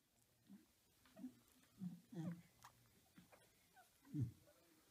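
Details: Small puppies with Gryzia, a beagle, indoors: a string of short low grunting and squeaky yelps, about one every half second, rising to a louder squeal near the end, with faint room noise.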